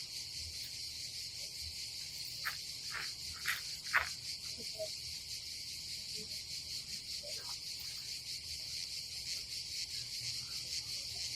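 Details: Cicadas on a summer day at a campsite above the Adriatic Sea in Croatia: a dense, steady high buzz runs without a break, with a few sharp knocks and clicks from camp activity early on.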